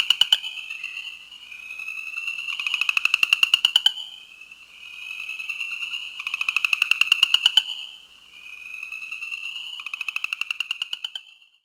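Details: A New Jersey chorus frog (Pseudacris kalmi) calls with rising, rapidly pulsed trills, each lasting a few seconds.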